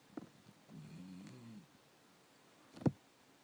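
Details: Black dog snoring, one short low wavering snore under a second long, followed by a sharp click or knock near the end.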